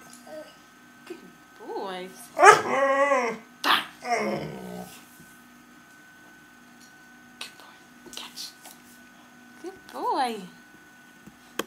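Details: A Staffordshire bull terrier x Rottweiler dog "chats" with its owner, answering repeated "I love you" with talkative, warbling whines and yowls that rise and fall in pitch.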